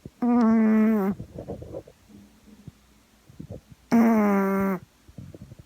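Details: Sleeping female Boston Terrier named Gaeborin, a flat-faced breed born 2016, snoring indoors: two long, loud, buzzy tonal snores about three seconds apart, each with a slightly falling pitch, and quiet snuffling breaths between them.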